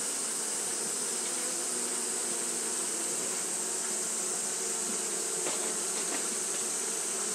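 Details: Japanese honey bees fanning on a hot day, giving a level, slightly rough hum with low drone bands, a few faint ticks near the end, and a constant hiss overhead.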